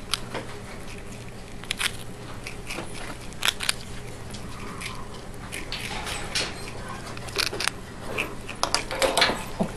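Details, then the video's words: Crunchy nibbling from the prairie dog Miss Diggit as she chews a graham cracker, brittle crackles and quick clustered bites scattered unevenly, with a steady faint hum like a fan behind them. "Adorable Prairie Dog Nomming Graham Cracker"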